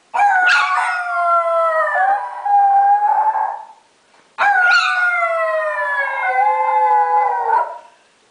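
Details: A female Chiweenie, prompted while her owner played with her, gives two long, wavering howls that slide gently downward, each lasting about four seconds.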